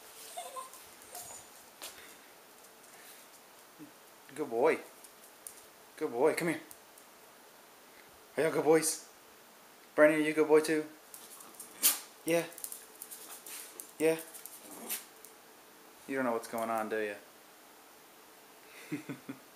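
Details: Dog named Cooper howling when he hears a Palm Treo ringtone indoors: drawn-out wavering tones in a series of bursts of about a second each, with a person speaking softly in a small room.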